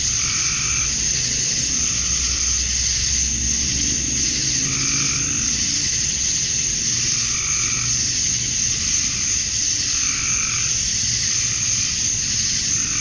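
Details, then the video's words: Male cicadas calling to attract females on a summer dusk in Georgia, USA; continuous piercing high buzz, with bursts of lower throbbing notes repeating every couple of seconds and a soft low rumble beneath. "Cicadas at Dusk, Summer Night"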